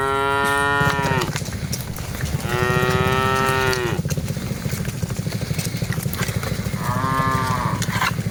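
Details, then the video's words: Several of the dozens of cattle being herded moo three times: a long call, then another after a pause, then a shorter one. Steady low-pitched rumbling and clatter run underneath throughout. "Aktivitas Mengiring Puluhan Sapi Lembu Lucu Suara Moo - Suara Sapi Moo Yang Lucu"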